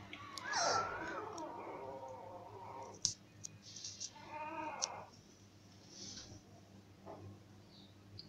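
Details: Cocker Spaniel puppies born to a cocker mother, up for adoption at a veterinary clinic in Murcia; a long high whimpering whine with stacked harmonics slides downward, then shorter squeaky whines follow amid faint clicks and soft room noise.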